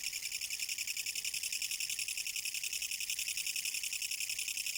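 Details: Kutsuwamushi katydid, filmed in Japan in autumn 2014, producing a loud rhythmic rasping song: very regular throbbing pulses, roughly three per second, sustained evenly with no other clear sounds.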